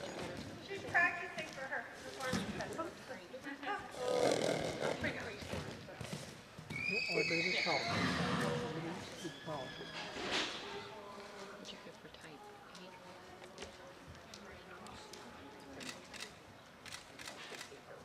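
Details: Hanoverian mare by Totilas at a 2015 breed inspection, giving a loud whinny with shrill, wavering high tones that fall away, amid hoof sounds, crowd noise and a man speaking.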